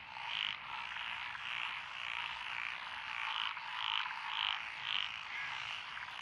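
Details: Frogs of several species, including Japanese tree frogs and Schlegel's green tree frogs, calling from lotus rice paddies in Echizen, Fukui, Japan, June 2021; clear, round croaks repeated about twice a second over a dense humming chorus.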